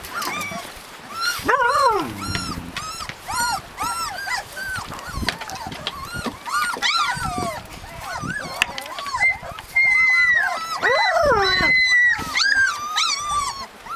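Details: Husky puppies in Lapland giving a chorus of high whines and yelps, arched tonal cries overlapping from several pups, with a few longer steady whistled whines near the end.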